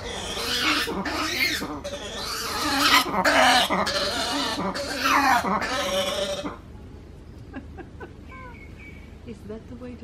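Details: Black-and-white ruffed lemur, a male near hotel cabins on Ile aux Nattes, Madagascar, after receiving a banana. It gives six seconds of loud, harsh, rasping barks and brays in rapid pulses, then goes quiet as faint bird chirps remain.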